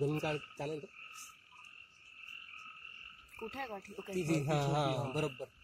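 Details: At night in Amboli hills forest, Sindhudurg, frogs give deep, harsh, drawn-out croaks at the start and end, over a steady background chorus of rapid, repeated higher notes.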